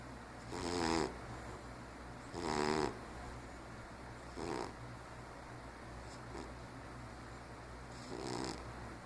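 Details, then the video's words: Sleeping cat Ralph, aged 15 and diabetic, snores in raspy bursts, four main breaths spaced about two seconds apart with a longer pause before the last, against a faint low hum. "Ralph Snoring"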